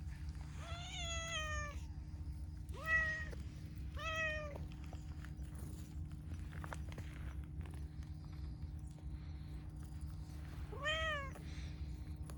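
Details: A chatty, affectionate pastel calico cat meows repeatedly: three drawn-out, harmonically rich meows in the first five seconds, a quiet pause, then one more arching meow near the end, all over a constant low hum.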